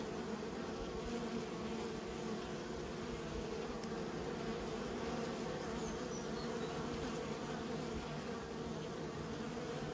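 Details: Kept honey bees giving a continuous droning buzz, many insects humming together at a low, even pitch for the whole stretch, with a faint brief tick near the middle.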